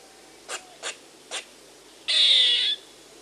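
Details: Squirrel calling: three short, sharp high clicks about half a second apart, then one longer harsh, buzzy rasp lasting just over half a second, in a quiet setting.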